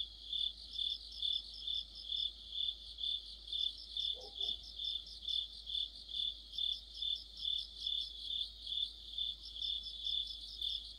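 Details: Deepening autumn night beside a streetlight, crickets and companion insects sing together: dense high trilling throbbing steadily about twice per second, one short lower chirp midway.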